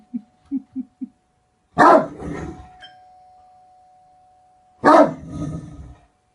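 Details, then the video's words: Great Dane giving four soft, low huffs in quick succession, then two loud, harsh barks about three seconds apart, a thin steady tone running in the background. "Great dane barking"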